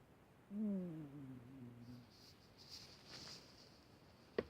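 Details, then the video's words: Old, sick female cat snoring indoors: a single drawn-out tonal breath, falling in pitch with clear overtones, lasting about a second and a half. Faint hiss and a sharp click follow in a quiet room. "Моя больная старая кошка храпит"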